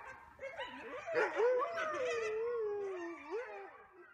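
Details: A critically endangered red wolf family at the Wolf Conservation Center defends its territory at night from a trespassing camera and tripod. Several overlapping wavering howls slide up and down, mixed with higher yips, for about four seconds.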